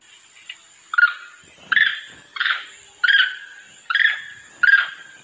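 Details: Monkey call used to lure, the animal calling its companions: six harsh, grating calls roughly every 0.7 seconds, preceded by a faint short note, with a continuous high hiss behind.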